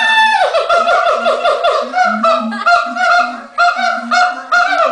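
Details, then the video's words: Siamangs calling at a Los Angeles zoo shortly before lunch time, with the male in the lead: dense, loud, nasal honking barks fired in quick succession, briefly pausing once, over low resonant booms. "Siamang Calls"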